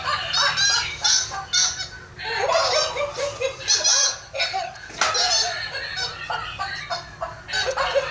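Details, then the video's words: Capuchin monkey Instinct, a pet, laughing while play fighting with a toy monkey; bright, squealing chatter in quick irregular bursts, some high twittering notes, one short pause near the middle, low background hum throughout. "MONKEY RUNS FROM MONKEY TOY LAUGHING"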